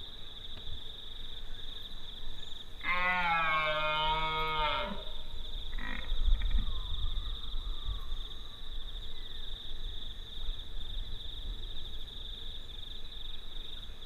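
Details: Red stag entering a field, giving one long roar of about two seconds with a strong harmonic stack, then a short grunt, over steady background hum.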